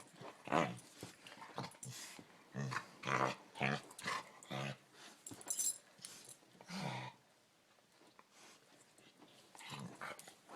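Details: Pet dog making strange frog-like croaking noises when its chin is touched, a series of short raspy grunts in uneven bursts over about seven seconds, then quieter, indoors.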